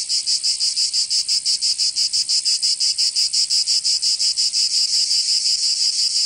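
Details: Cicadas singing in summer in Provence, southern France: a loud, dense buzzing drone, high-pitched, pulsing in rapid regular throbs about three per second throughout, with no other sounds.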